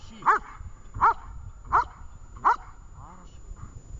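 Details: Vesta, a dog in training at Horlivka on 20 July 2019, gives four loud, sharp barks evenly spaced about 0.7 seconds apart, followed by a stretch of only faint low background sounds.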